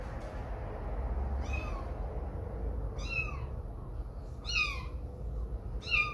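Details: Kitten meowing while away from its mother for the first time, as the mother cat takes a grooming break during playtime; four high, thin meows, each sliding downward, spaced about every one and a half seconds over a steady low rumble.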